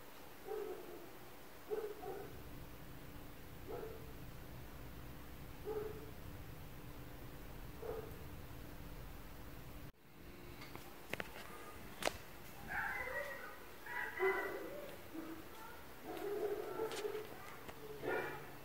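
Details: Neighbours' dogs heard from inside an apartment: distant, muffled barks repeat about every two seconds, followed by a busier stretch of overlapping barks and knocks over a steady low hum.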